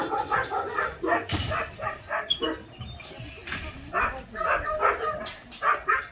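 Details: Abandoned medium and large dogs, about 200 together at Hans Care School shelter in Gyeongju, South Korea, where trainers prepare them for adoption; many overlapping barks and yips in a dense chorus, with faint voices in the background.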